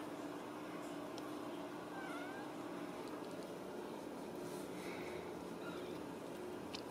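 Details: Home-raised Ragdoll kittens from a central Kansas cattery: one faint, short, falling mew near two seconds and another soft one later, under a constant hum of room noise.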